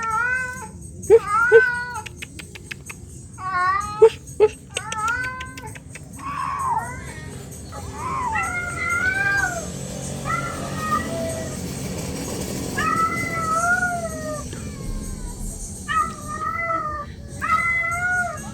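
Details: Female domestic cat in heat: repeated arching, wavering meows, some short and some drawn out, with clicks and tapping early on, over a low hum and faint music.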